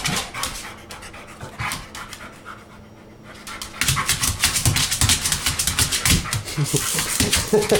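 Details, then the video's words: Dog worked up by a remote-control toy car pants quickly and steadily, briefly quieter in the middle before heavy panting and scuffling resume; a man speaks softly. "Funny dog chases rc car"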